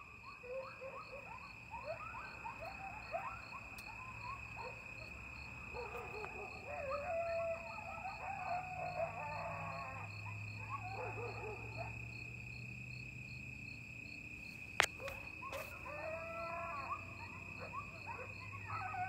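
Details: Coyotes yipping and howling together in the night at Lake Mendocino in October 2022, heard from a porch overlooking the water. Dense, rapid yelps and quavering howls come in bursts, separated by quieter gaps, with a constant thin whine and a few clicks.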